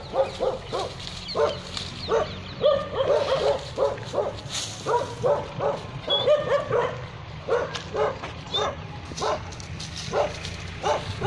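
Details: Tibetan Mastiff and Gaddi dogs at Naaz Kennel in Khanna, Punjab, barking over and over, several voices overlapping in bursts of short harsh barks roughly every half second, with a low hum running beneath throughout.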